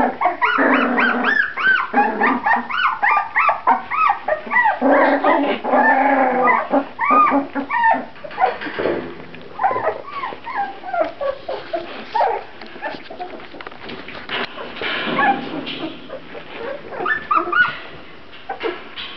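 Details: Grand Basset Griffon Vendéen puppies in a litter, giving dense overlapping high whimpers and yips, arched whining notes rising and falling rapidly, many pups calling at once with short pauses.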